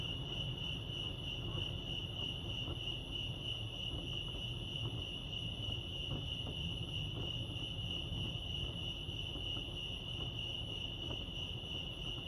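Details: Continuous cricket chirping at Lake Arrowhead, California: one sustained high, shimmering trill with a faint pulsing texture, steady in loudness throughout, over a gentle low background hum.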